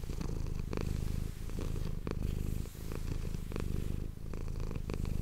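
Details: Indoor domestic cat giving a rich low purr for ASMR, the rumble pulsing in breath cycles roughly every second, with soft scratchy clicks overlaid.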